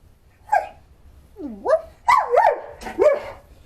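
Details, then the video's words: Pet dog barking indoors while its owner talks to it, four short rising, whiny yelps over about three seconds, the first brief and the later ones swooping upward, with quiet background hum. "Hey, you're barking right here with all the people, and they're gonna be mad"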